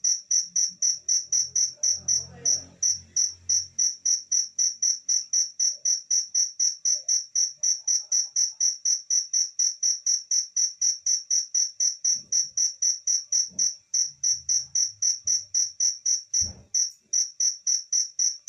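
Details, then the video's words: Pet cricket kept at home, chirping steadily with high, shrill pulses, close to four per second, without pause. Faint low thumps and brief handling noises sit in the background. "cricket background noise"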